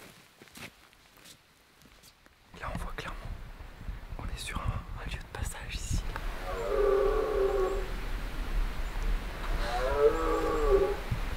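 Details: In the Pyrenees mountains, a red deer stag in rut gives two drawn-out, deep, throaty bellows after soft rustling and whispers, announcing his presence.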